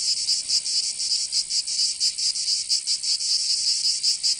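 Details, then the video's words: Cicadas singing in summer in Provence, southern France: a dense, shrill, high buzzing that swells and fades in slightly uneven pulses, roughly three each second, with no other sounds standing out. "Canto Cigarra"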